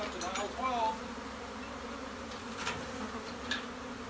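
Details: Honey bees massed inside a bee shed give a steady, low droning hum that runs through the whole stretch, with brief clicks and faint human voices at the start.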